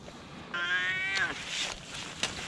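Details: Rescued cat giving a single drawn-out meow, clear and harmonic-rich, holding steady for under a second before tailing off; faint clicks and background murmur follow.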